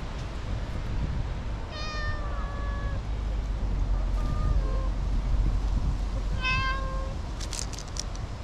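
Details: Affectionate tortoiseshell cat, down from a nap in a tree, rubbing hard against its companion while giving three clear meows: a long level one, a short bent one, then a rising-falling one. Constant low outdoor rumble and a brief rustle at the end.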